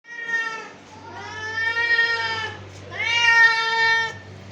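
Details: Domestic cat meowing, described as angry: two long drawn-out harmonic meows with a steady pitch, the first fading into the second, each lasting about a second and a half, over a faint low hum.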